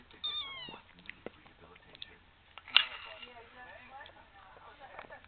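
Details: Tiny female kitten begging for food, determined to get ice cream, gives a squeaky little high mew that slides downward near the start, followed by brief sharp knocks and soft human voices murmuring in the background.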